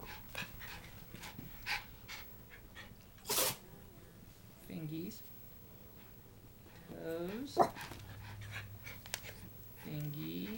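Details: A Schipperke named Jesse James gives short, arching whines and yips while being "attacked" by a buzzing toy, with a person talking nearby.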